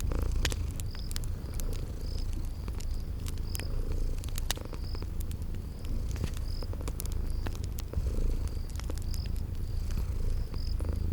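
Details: Sleeping kittens purring beside a crackling fireplace in a spring garden ambience: a steady low rumbling purr throughout, sharp pops and crackles from the fire, and short high chirps repeating about once a second.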